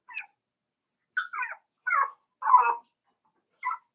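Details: Five-week-old Cavalier King Charles Spaniel puppies in Daisy's puppy pen give a string of short, high, wavering whines, five separate cries spaced about a second apart, with silence between them.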